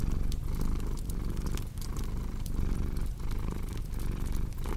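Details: Close, throaty cat purr beating in slow breath-paced waves, with scattered sharp crackles of a fireplace in the background.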